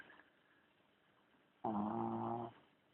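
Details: Charlie the dog snoring indoors: a single loud, steady, buzzy drone of just under a second, low and richly layered, after a quiet stretch.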